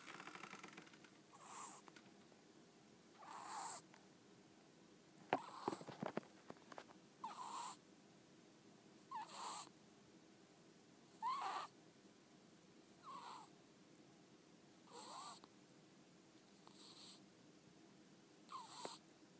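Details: Soft, regular snores from Ten-chan, a house ferret deep asleep with half-closed eyes and a flicking tongue, one hushed wheezy breath every two seconds or so, interrupted once by a short rustling bump.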